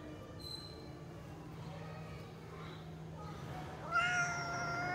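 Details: A cat gives one short harmonic meow near the end, falling slightly in pitch, after several seconds of steady low hum with faint scattered sounds.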